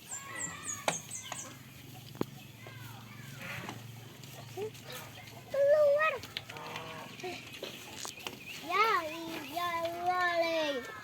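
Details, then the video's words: Goats on a farm, playing and eating, give loud quavering bleats, one short wavering call midway and a longer run of tremulous, rising-and-falling bleats toward the end; high thin chirps and low background hum early on. "FUNNY GOAT SOUNDS PLAYING AND WHILE EATING ON THE FARM"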